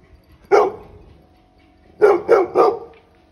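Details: A 10-month-old Labrador Retriever puppy barking at sheep gives one sharp bark, pauses about a second and a half, then fires off three rapid barks; the barks are broad and punchy, with little else in the background.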